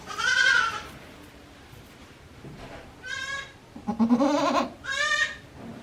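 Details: Goat kids just one day old on Yoshigake Farm, 17 April 2024, calling in a quick series of four or five bleats, some higher and thinner, one lower and throatier, with brief pauses between.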